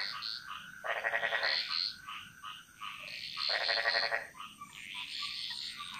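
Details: In a Bali jungle chorus, two loud buzzy, rattling croaks about a second long stand out roughly two and a half seconds apart, surrounded by higher whistled chirps and short clucks from other frogs.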